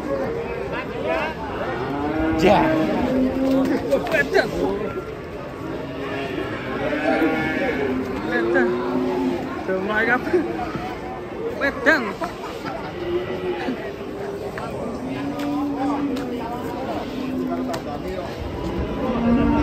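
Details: Cattle being unloaded from a truck in Indonesia, giving repeated low, drawn-out moos, several in a row with short gaps, over background music and people talking.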